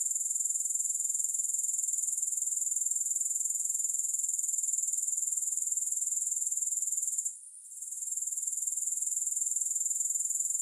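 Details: Grasshoppers heard with no music: a steady, very high, shrill trill pulsing about four times per second, briefly cutting out for half a second near the seventh second, then resuming.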